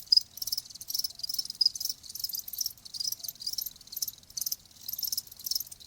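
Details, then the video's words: Crickets recorded as a natural sound meant to ease tinnitus: high-pitched pulsing chirps grouped in bursts roughly every second, several insects overlapping, quiet background. "귀뚜라미 1시간"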